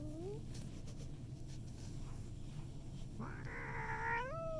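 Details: Cat reacting to a new cat: a faint upward whine at the start, then a loud, strained, harmonic yowl that rises and wavers for over a second at the end, over low background hum.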